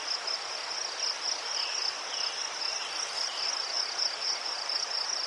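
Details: Crickets chirping among chrysanthemums in Ukraine, a shrill pulsing trill repeating roughly four times a second, with faint bird calls underneath.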